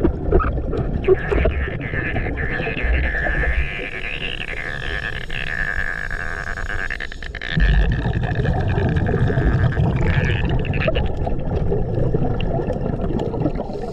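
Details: Whale song recorded underwater during a reef dive over Gorilla Chop Reef on 14 March 2024, with box jellyfish nearby: a long, steady, wavering moan held for several seconds over constant low rumbling and bubbling dive noise.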